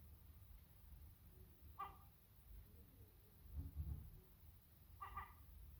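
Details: Sacred Birman cat talking to a seagull: two short bright calls roughly three seconds apart, with a muffled low thudding sound between them against steady low background noise.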